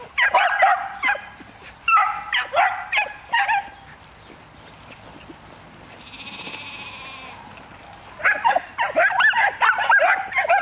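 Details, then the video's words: Miniature wire-haired dachshunds, a one-year-old trio, barking on cue during hunting-preparation training: two short bursts of sharp, high yapping, a quiet stretch with soft hissing, then a final flurry of rapid barks. "Bassotto Nano Pelo Duro - Sessione di addestramento propedeutico alla caccia - Stimolo all'abbaio"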